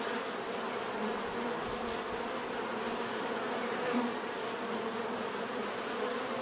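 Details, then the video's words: Bees buzzing in a close, unbroken drone, with one louder buzz swelling near the middle before settling back. "bees therapy relaxing natural buzzing sound"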